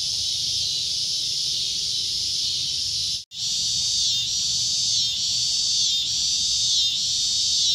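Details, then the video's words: Cicada with a loud shrill drone, cut by a brief silent gap near the three-second mark, then resuming with gentle pulsing swells roughly every second. "CICADA A Loud Shrill Droning Noise"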